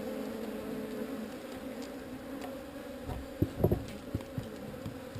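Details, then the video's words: Honey bees in a swarm being relocated from an undesired location: a steady low droning hum with a strong tone and its overtone. Near the end, several sharp knocks and taps cut across it. "Relocating Bees"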